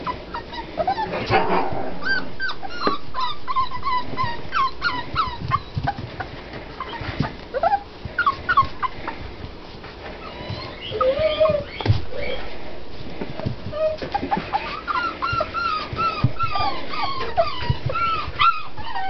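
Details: A litter of six-week-old puppies whines and yips, with short bent whimpers coming in irregular clusters, some louder squeals mid-way, and a person talking quietly in the background.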